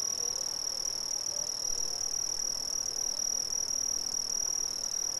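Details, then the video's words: Brazilian crickets give a shrill, rapidly pulsed trill at a single high pitch, beating evenly many times a second, over a faint hiss of other insects. "Brazilian Crickets"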